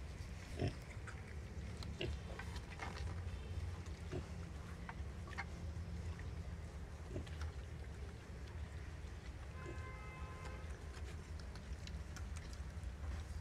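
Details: Wild boar sow nursing her young piglets; short soft grunts scattered through the clip over a steady low rumble, with faint clicks and a brief higher whine near the end.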